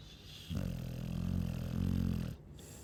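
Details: A Chow Chow snores: a deep, vibrating rumble lasting nearly two seconds, steady and harmonic-rich, then fading to quiet room tone.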